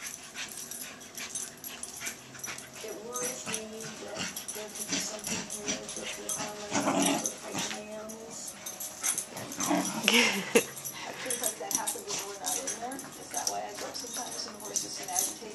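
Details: Pembroke Welsh Corgi puppy Gator, a pet born May 8, 2011, playing his unusual twirling game in the morning; busy scuffling and rustling noise throughout, with short yelping, whimpery bursts near the middle and toward the end, and human voices in the background.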